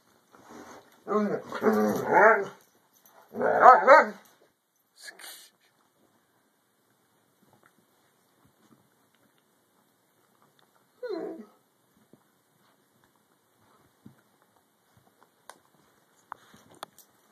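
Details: Two newly arrived Miniature Dachshund puppies from Indiana, settling in, give wavering, high whines and yips in short bursts as one wants to play, with a person speaking briefly.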